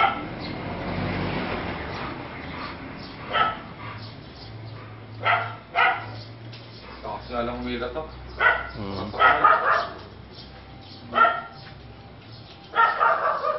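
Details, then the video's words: An American Bully dog gives single loud barks spaced a couple of seconds apart, building to a quicker pair and a final burst, while a person talks at the start and a low hum continues in the background. "Weng american bully"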